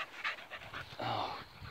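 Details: Female Cocker Spaniel playing a new ball-retrieving game, searching for the ball while being urged to fetch; short breathy panting bursts in uneven rhythm, soft and close, with quiet room background.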